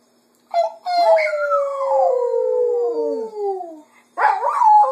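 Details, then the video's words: Female Cocker Spaniel at home in the afternoon, singing to mimic her owners' voices: one long, clear, sustained howl sliding gradually lower over about three seconds, followed by a wavering, rising-and-falling howl. "Jojo the Cocker Spaniel Sings in the Afternoon"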